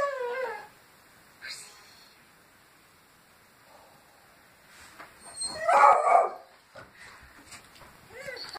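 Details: Petit Basset Griffon Vendéen dogs greeting the neighbours with howls: a brief wavering howl at the start, a loud rough burst near six seconds, and another short howl rising at the end, with quiet gaps between.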